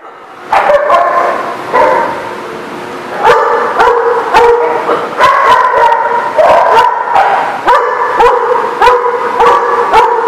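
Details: Several dogs barking at a dog facility, overlapping harmonic barks repeated in bursts, some sustained yelping tones, busy and continuous with little pause.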